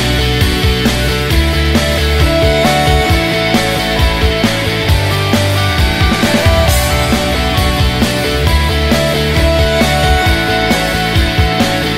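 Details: Loud rock music with heavy drums and distorted guitars fills the whole stretch, with no animal voice audible.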